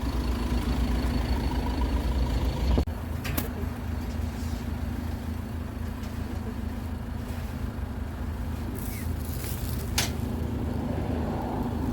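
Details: Steady low engine rumble of a road vehicle, with a sharp knock near three seconds and a few faint clicks later.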